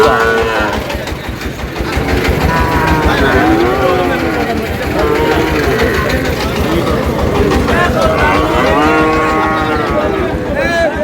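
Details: Sahiwal bull calves at a busy cattle market, being bought by a farmer from Comilla, Bangladesh, on 24 May: drawn-out harmonic moos rise and fall amid constant crowd chatter and passing engine noise.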